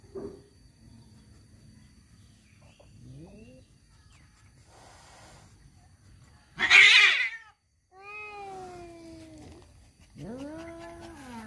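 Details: Tomcats fighting over a female, starting with faint low moans and murmurs, then an explosive hiss-like spit, followed by two drawn-out, downward-bending yowls separated by a short pause.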